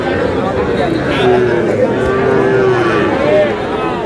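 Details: Cattle at a livestock market in Madaripur, Bangladesh, where small bull and heifer calves, including Sahiwal, are being bought; drawn-out low moos waver and bend in pitch beneath steady men's talk and crowd chatter.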